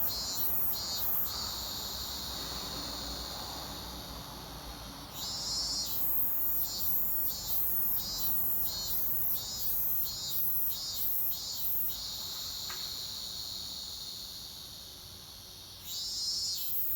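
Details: Robust cicada singing at an undisclosed place, with loud high-pitched pulsed buzzing phrases, repeated throbs roughly every half second, broken by smoother sustained drone passages and then a fresh pulsing burst near the end.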